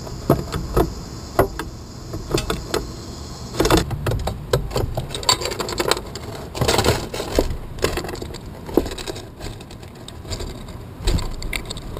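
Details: Scattered knocks, rattles and scraping clicks with a steady background hum, no clear animal voice.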